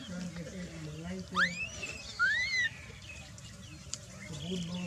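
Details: Baby macaque Dalton lying on the ground and crying while his mother Dolly ignores him: two sharp, high whistled cries that sweep upward and then bend down, each under a second long, over a low murmur of background voices.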